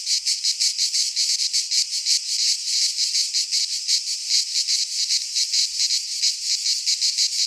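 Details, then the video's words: Cicadas in Greek midsummer pine forest produce a sharp high buzzing in distinct fast pulses, about three per second, loud and steady throughout. "Cicadas singing in midsummer - Nature sounds from the Greek fauna - Sounds of cicadas"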